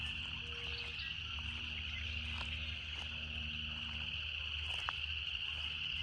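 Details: Steady high-pitched cicada buzz filling six seconds, with a low hum, a brief tone near the start and a few faint clicks.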